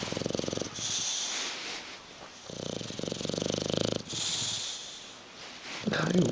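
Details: Sleeping bulldog Hugo, sprawled on a sofa indoors and refusing to wake, gives rough throbbing snores, a short one and then a longer one of about one and a half seconds, with brief Italian speech nearby.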